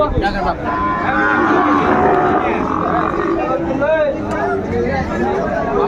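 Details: Market-best Sahiwal bulls for sale at a Dhaka cattle market, 14 February 2025; overlapping moos swell and waver over several seconds, mixed with people talking nearby.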